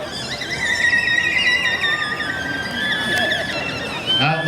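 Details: A captive killer whale at SeaWorld, December 29, 2015, gives a long, squealing call with a steady, slightly wavering pitch and rich overtones during a vocalization demonstration, with a young calf learning and mimicking the others' calls.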